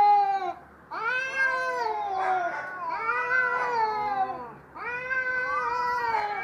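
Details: Fighting cats give continuous harsh, wavering yowls in three long swelling bursts, each bending up and down in pitch, loud and tense, with a steady low rumble underneath.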